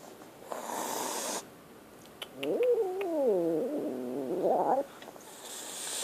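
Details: Scared kitten giving a wavering, harmonic meow of about two and a half seconds that rises, dips and climbs again before ending, with brief hissy rustles and clicks before and after in a quiet room.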